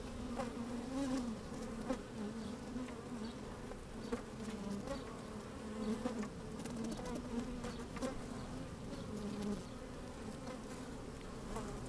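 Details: Busy honey bees inside an open hive, microphone slid down among them on a fine sunny day; persistent deep hum with repeated brief higher buzzes and occasional sharp ticks as bees move about.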